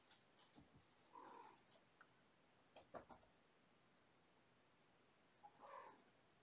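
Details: Young kittens of mother cat Gamora's five-kitten litter, born April 14, winding down at bedtime with play and scampering; two short tonal mews, early and late, among soft bumps, clicks and rustling indoors.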